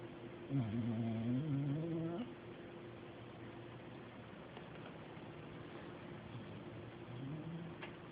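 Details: Pet dog Deebo asleep in a chair, giving a low rumbling snore with a wobbling pitch for about two seconds, then a long near-silent pause before a softer snore begins, steady background hum throughout.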